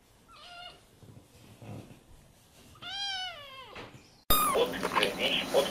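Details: Kittens learning to meow: a faint short squeak early on, then a clear arching meow near three seconds, followed by a loud noisy burst of handling and rustling at the end.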